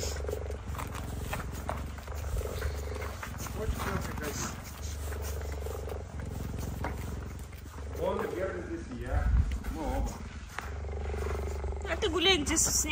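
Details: Female cheetah in a snowy enclosure defending her home from an approaching male cheetah; long bouts of deep, rapidly pulsed rumbling broken by short pauses, with a woman speaking and rustling footsteps.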